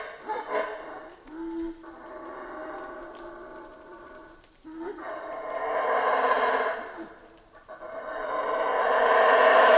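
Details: Central American rainforest howler monkeys roar in long rising swells, a throaty chorus building twice to loud, breathy peaks about every three seconds, with a brief lower tone between.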